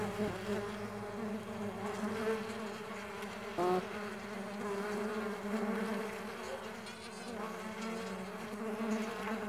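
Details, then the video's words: Mandaçaia stingless bees flying produce a steady, multi-toned low buzz that wavers gently throughout, with one brief louder burst near the middle. "STINGLESS BEE SOUNDS"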